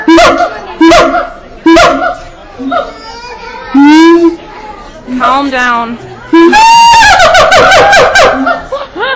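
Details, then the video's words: Iwani, a hand-raised male siamang at Auckland Zoo, New Zealand, recorded 7 July 2013, gives loud rising and falling harmonic hoots that build into a fast climbing series; human speech and laughter mix in between calls. "Iwani the Siamang hooting at Auckland Zoo, New Zealand"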